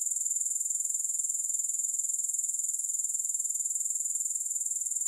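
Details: Unbroken high-pitched trilling of grasshoppers, a fast, even pulsing buzz held at constant loudness throughout, with no other sounds.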